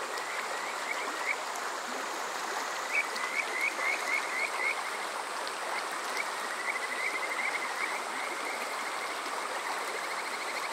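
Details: Summer-night Kajika frog chorus from Yokoze in Saitama's Chichibu District, captured on a TASCAM DR-05X: bright, upward-flicking notes in a rapid string, sometimes sparse and sometimes closely spaced, against constant flowing-water noise.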